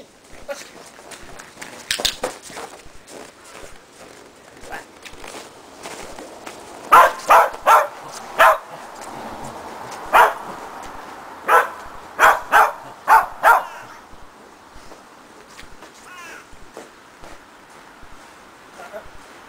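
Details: Agility session for Shetland Sheepdog Preston, learning running contacts through a box and jump grid: after quiet movement and footsteps, a run of about eight short barks comes in uneven bursts, then trails off to background noise.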